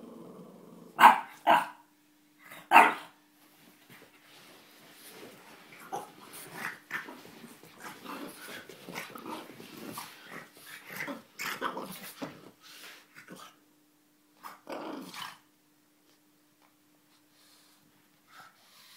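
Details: A playful French Bulldog, who barks only when playing or startled, gives a few loud, sharp barks, then softer grumbling growls during play.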